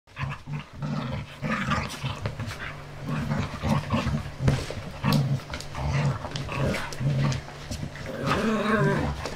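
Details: Jessie, a five-month-old puppy, growls during play time while she is the centre of attention. Low, rumbling growls come in short bursts, some close together and some a second or more apart, over scuffles and knocks.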